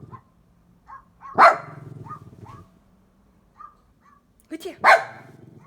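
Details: Domestic dog barks at sound effects: two loud, abrupt barks about three seconds apart, with short electronic blips and a low hum between them.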